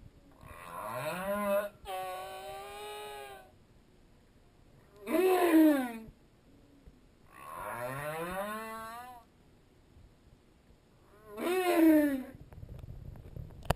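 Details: Underwater humpback whale song, the whale briefly in view and a school of opelu swimming by. Rich, harmonic moaning units bend downward and upward in drawn-out phrases, alternating louder and softer calls roughly every three seconds.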